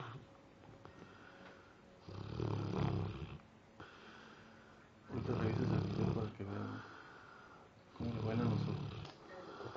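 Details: Sleeping Labrador Retriever having nightmares, snoring in three deep, rasping bursts of about a second each, separated by quieter breathing, while people nearby talk in Spanish, saying it is dreaming.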